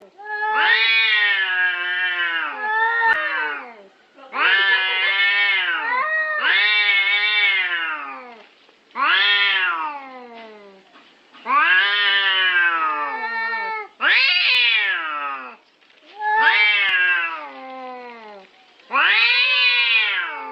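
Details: Cats fighting over territory: long, loud, wavering yowls with rich harmonics, each rising then sliding down, repeated in bursts of one to two seconds with short silent gaps, about nine calls.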